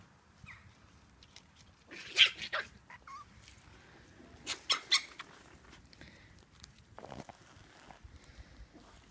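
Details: Four Chihuahua puppies at an animal shelter, awaiting adoption, give short, high, sharp yips in a few scattered bursts.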